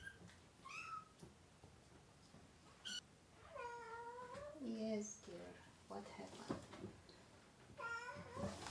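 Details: Kittens, one of a mother cat's litter of three, cry while being dewormed indoors: high, arching mews that rise and fall, coming in scattered bursts, with a low human voice talking between them.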